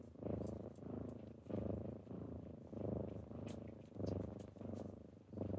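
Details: Morning purring from kittens waking someone up: steady, deep vibrating purr rising and falling in regular swells roughly every second, close and clear with faint background hiss.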